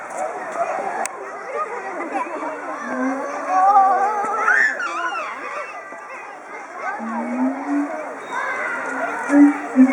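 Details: Two excited siamangs at Chiba Zoological Park, 18 October 2013, inflating their throat sacs and calling together as a threat toward territorial intruders, often reacting to children's voices; wavering, rising tonal whoops mixed with loud chatter from schoolchildren.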